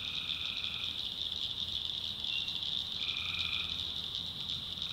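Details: Tree frogs at night, North Carolina backwoods swamp. A dense, continuous high chorus carries two longer droning calls of nearly a second each, one at the start and one about three seconds in.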